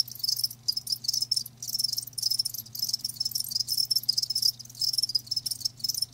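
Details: Live crickets produce shrill pulsing chirps grouped into bursts of about half a second, rising and falling in loudness, above a low steady hum.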